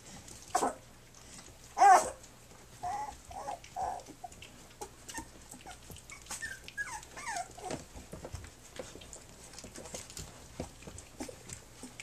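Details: Three-week-old puppies of a dog named Flute, nursing and playing indoors on their three-week birthday; scattered short squeaky whimpers and rising whines, a sharper yelp near two seconds, over soft rustling and shuffling.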